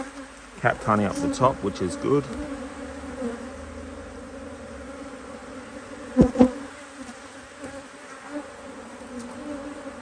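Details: Busy Hive IQ colony of honey bees in Australia, mid-autumn 2023, opened so another box of empty frames can be added; brief talking at first, then a steady buzzing drone with a sharp knock partway through.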